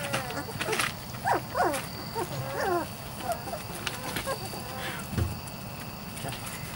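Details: ["Weimaraner and Weimaraner x Vizsla puppies, 3-4 weeks old, from Biscuit's litter: several short rising-and-falling whimpers and squeals, some wavering, scattered across a few seconds over a low background rumble."]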